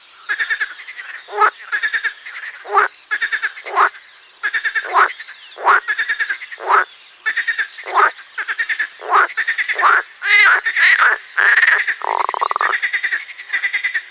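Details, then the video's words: Chorus of marsh frogs: a long run of pulsed, rattling croaks roughly every second, growing denser and overlapping near the end, with continuous frog calling behind. "Песня озерной лягушки Pelophylax ridibundus"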